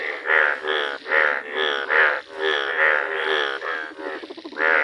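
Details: Bright yellow Indian bullfrog croaking in a village: loud, buzzy, bleating calls repeated a little over once per second, each rich in stacked overtones, with brief dips between bursts.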